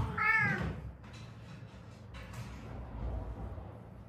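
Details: Cat meowing, one of a rescued stray mother and daughter who lived seven years on Haeundae streets after a traffic accident; a single loud, short, bending meow at the start, then soft room noise and faint thumps.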